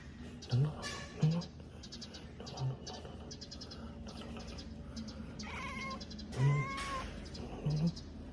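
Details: Numchoke, a cat, hiccupping after seeing a bird: five short, low, soft thumps spaced unevenly, close together early and again near the end, with brief meow-like whines midway and faint background chatter.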